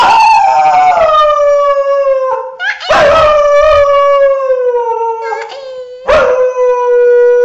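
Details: Drawn-out dog howls from a humorous compilation, three long tonal howls each starting high and gliding slowly downward, with a short breathy break between them.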